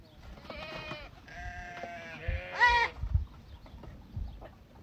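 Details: White goats bleating: four wavering, nasal bleats in quick succession over about two and a half seconds, the last one higher and louder, followed by soft low background noise.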